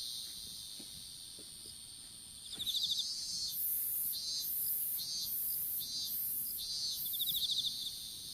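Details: Insects in an outdoor strawberry field, recorded by a smartphone dropped while strawberry seedlings were planted. A steady high whine, then rapid ticking chirp bursts and pulsing buzzy swells that come roughly once a second.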